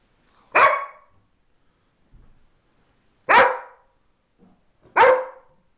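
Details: Pet dog greeting her mistress, just home from a week in hospital: three sharp, loud barks spaced about two and a half seconds apart, with faint quieter sounds between.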